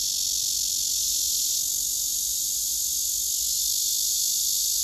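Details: Cicadas gathered on trees, males singing and jostling rivals away: continuous shrill, sizzling drone at very high pitch, unbroken and even in loudness throughout, nothing else audible.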